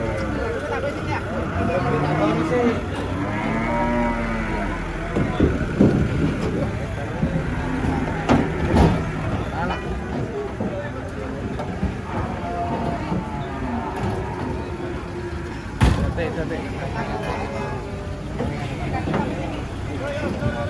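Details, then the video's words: Giant cow being loaded, said to be raging beneath a haunted tree; deep drawn-out moos recur amid clatter, knocks and a busy background of voices and engine rumble. "SAPI RAKSASA NGAMUK"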